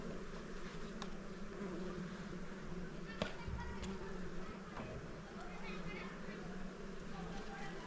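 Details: Small hive of honey bees disturbed during honey hunting, giving a continuous buzzing drone over low background rumble, with a few sharp taps and light clicks along the way.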